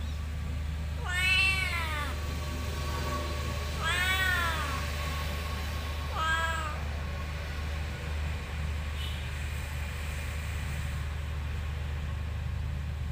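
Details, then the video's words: Cat meowing in a motorbike parking lot: three drawn-out, harmonic-rich meows about every two and a half seconds, each rising then falling, followed by quiet, over a steady low engine-like hum. "Suara Kucing di Parkiran Motor"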